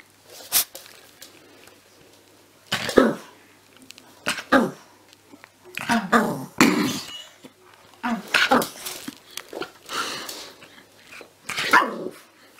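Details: Puppies barking indoors. Short, rough, broadband yaps come in irregular bursts about every one to two seconds, with a little human speech in the background.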